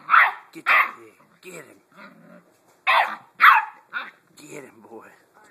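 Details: Seven-week-old Blue Great Dane puppy Hagrid is playing with his new toy pig. Rapid, high-pitched barks come in pairs, with quieter growly yips and faint voices between the louder bursts.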